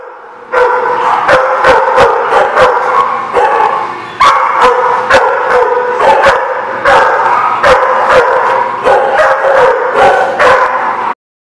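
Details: Dogs barking at a dog lot, recorded July 29, 2019; loud, rapid, repeated sharp barks from several dogs overlapping almost continuously for about ten seconds, then ending abruptly.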